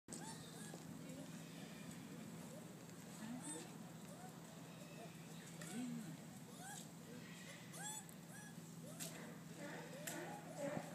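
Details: Several bush dogs at Higashiyama Zoo call together in quick, overlapping squeaky whines that sound nothing like dogs, each note rising and falling like a short chirp, over a constant low mechanical hum and faint human voices.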